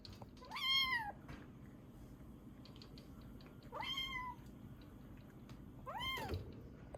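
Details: Kitten Ame, rescued in Osaka and estimated 3 to 7 weeks old, calling affectionately; three clear, high meows spaced about two and a half seconds apart, each rising then falling, in a quiet room.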